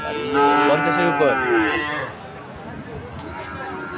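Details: Bull calf of Friesian or cross breed at the Aftabganj market in Dinajpur, 18 March: a drawn-out, slightly wavering moo for two seconds, fading into murmuring crowd noise.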